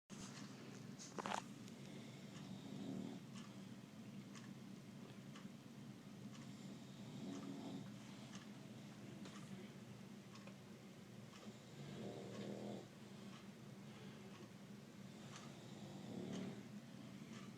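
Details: Bulldog asleep on an indoor AC vent, snoring faintly: soft, rough breathy rumbles swelling about every four to five seconds over a steady low hum.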